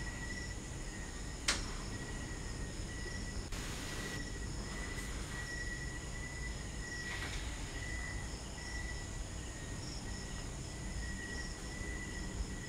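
A cricket gives a steady, unbroken high trill over a low background rumble.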